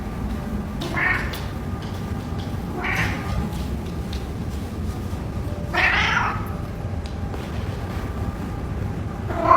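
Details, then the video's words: Adopted orange cat Reddington, recovered from neglect and illness and now chatty at home, lets out four short, hoarse meows spaced a few seconds apart over a steady low rumbling background. "Woman Adopts Shy Cat Named Reddington—Now He Won’t Stop Talking"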